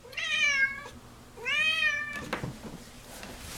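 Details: Indoor pet cat Scientist calling after her meal and play: two loud, bright meows a second apart, each arching up then down, followed by brief clicking and rustling noises.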